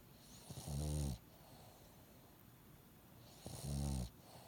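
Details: Pet dog snoring with a nose blocked after an illness: two rough, low rasping snores about three seconds apart, each roughly half a second long with a breathy hiss on top, quiet room between.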